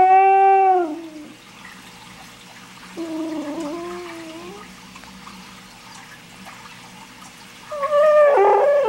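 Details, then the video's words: Bruno, a German Shorthaired Pointer, making funny noises: a long harmonic whining howl that slides downward, a quieter wavering moan a few seconds later, then a loud rising whine at the end, with a low background hum throughout. "Bruno Makes Funny Noises"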